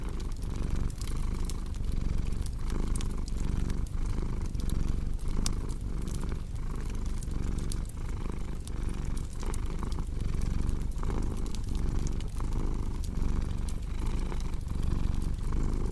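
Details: A cat purrs steadily beside a crackling fireplace in a relaxation recording for sleep; the deep, even rumble pulses with each inhale and exhale, under a constant sprinkle of sharp wood-fire snaps.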